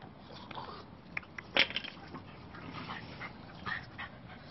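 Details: Male French Bulldog puppy, blue brindle, playful and sociable, gives one sharp, loud yelp-like bark near the middle, with a few fainter, softer vocal sounds before and after over low background noise.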